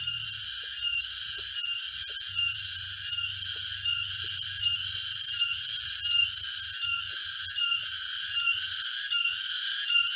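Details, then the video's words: Cicadas sing in a forest near Jatiarjo, Prigen, Pasuruan, East Java, on October 23, 2020, a loud, shrill, unbroken buzzing pulsing slightly in steady waves during a walk; cicada. "Walk through a forest of East Java with the sound of cicadas."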